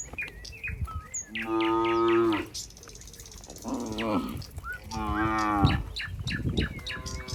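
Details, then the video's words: Cows in a barn as a cowherd walks among the herd: two long harmonic moos around the middle and end, lower drawn-out lowing between them, with small bird chirps throughout. "the sound of cows"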